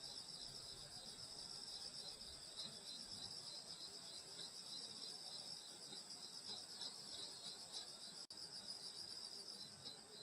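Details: Field insects singing on a summer night in the Korean countryside at a grandmother's house: a dense, steady high shimmer of overlapping trills in several bands, unbroken except for one brief dropout near the end.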